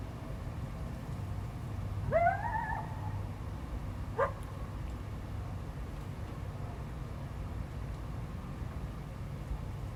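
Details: Wild coyote howling in response to a barking dog near its territory, recorded February 12, 2025: one rising, wavering howl about a second long, followed two seconds later by a short sharp call, over a steady low rumble.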